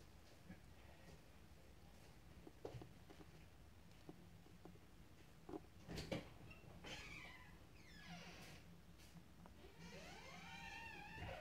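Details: Kittens at play: scattered soft taps and scratches, then a loud thump near six seconds, followed by several rising-and-falling harmonic mews, one drawn out near the end, over quiet room noise.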